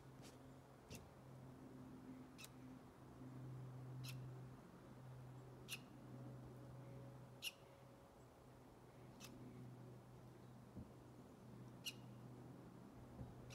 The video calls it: Squirrel squeaking and chirping